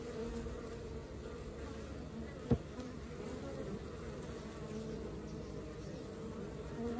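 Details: Working honey bee colony giving a constant low buzzing hum, many bees droning together, broken once by a sharp knock partway through.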